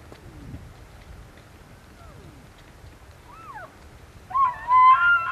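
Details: Elk (Cervus elaphus) during rut season in Benezette township, Elk County, Pennsylvania: faint rising and falling whistled tones, then a loud, harmonic-rich high whistle near the end over a low background rumble.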